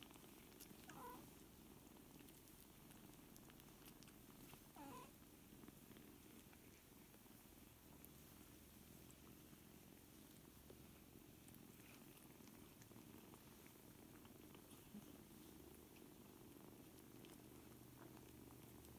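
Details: A quiet, unbroken purr rumbles underneath as seven four-week-old kittens learn to play together, with occasional faint clicks and soft rustling.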